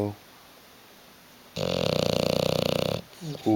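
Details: Indoors, a sleeping bulldog named Hugo lies on a sofa and gives one steady, throaty snore. It has a fast fluttering pulse and lasts about a second and a half, after quiet, ending with a brief human voice.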